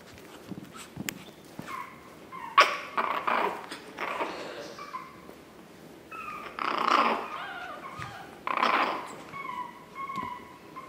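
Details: Whining and yelping from Chihuahua puppies, recorded 9 April 2016: short high falling whimpers come in bursts, mixed with rougher noisy cries and scuffling knocks between calls.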